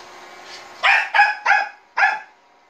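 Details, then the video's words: Pet Bichon Frise reacting to a robot vacuum with four short, rough barks in quick succession, each a clipped burst, after a soft lead-in, over a low steady household hum. "비숑프리제 만복이 로봇 청소기멍"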